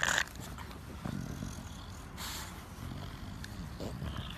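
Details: English Bulldog giving low snorting grunts, rough and breathy, in short bursts over a steady low rumble, with a sharp brief noise at the start.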